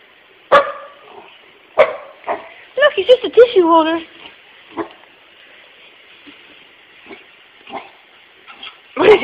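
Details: A puppy named Pooper, real name Dylan, barks at closing time at work at an empty puppy-shaped tissue holder. Sharp single barks come at the start, again two seconds later and at the end, with a man's coaxing voice between them.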